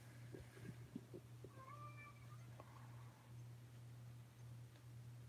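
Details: Oscar, an Alabama kitten indoors at Alley to Attic, cries with a clear meow rising then falling, preceded by soft tapping sounds, with a low steady hum underneath and quiet room noise after; recorded May 2018.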